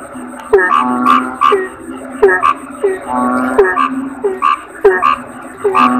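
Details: Kodok bangkong, a toad, calling: clipped, twangy croaks come in bursts of two or three, with longer buzzing notes between them and a thin constant high tone in the background.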